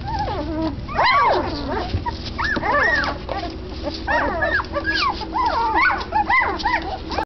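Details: Several twelve-day-old Doberman Pinscher puppies of Xena's litter, born 2 September 2012, squealing and whining: looping high whimpers that rise and fall in quick bursts, many pups crying at once, over a constant low background hum.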